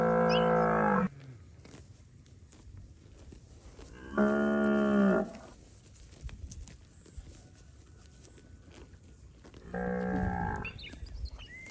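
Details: Fat, healthy village cattle from a roaming herd in rice fields give three long, deep, harmonic-rich moos, each about a second, spaced several seconds apart, with quiet rustling between them.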